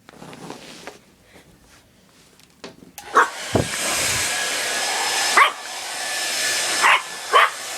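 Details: Puppy Leah, frightened by a running hair dryer indoors, gives sharp, short barks spaced a second or more apart over the dryer's steady loud roar.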